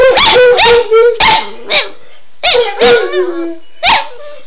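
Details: {'caption': 'Two excited domestic dogs yipping and barking in quick bursts, each note sliding upward, with a brief howl-like tail and gaps of quiet between volleys.'}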